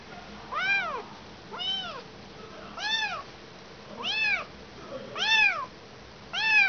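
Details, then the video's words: Lone kitten without its mother calls in a steady series of six bright, arching meows, roughly one every second, each short and rising before falling away. "Anak kucing kehilangan ibu."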